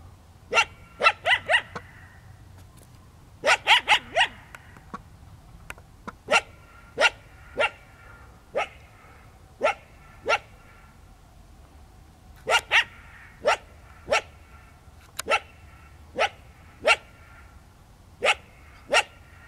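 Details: A startled wild coyote in the desert in the evening stands its ground and barks its displeasure at an intruding runner: sharp, yelping barks, some in quick clusters of three or four, others single and spaced about a second apart.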